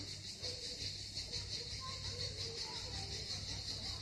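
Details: Crimean cicada chorus at Miskhor harbour near Yalta on the southern coast: a continuous high buzzing drone that throbs in quick pulses, over faint low background rumble and distant indistinct sounds.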